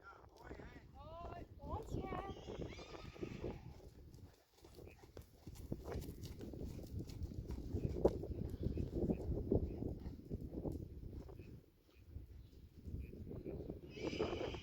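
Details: Friesian horse from a herd where the sport horse Reintje is ridden again for the first time; a quavering whinny of quick, falling pulses opens, then steady hoof clops, rustling and a human voice follow.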